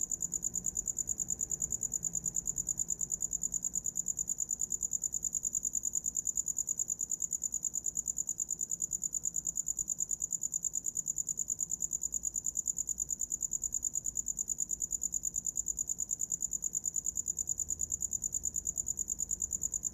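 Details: Cricket chirping steadily at night for sleep, a high thin pulsed trill repeated rapidly and evenly, about three pulses each second, with nothing else clearly heard beneath it.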